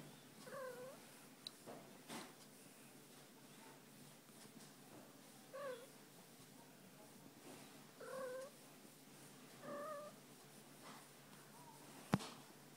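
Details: Fuzzy, a female pet cat, enjoying a tummy rub and attention indoors; quiet short chirping meows with wavering pitch come about every two to three seconds over a low steady hum, with a sharp click near the end.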